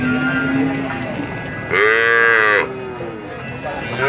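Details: Cattle lowing: one loud harmonic moo lasting under a second, slightly arching in pitch, over a background of steady noise and faint voices.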